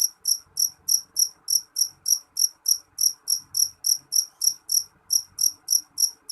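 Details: Jeliteng cricket calling loudly: shrill, bright chirps repeated steadily about three times a second, each short pulse ringing high, with a faint low hum underneath and no other animals.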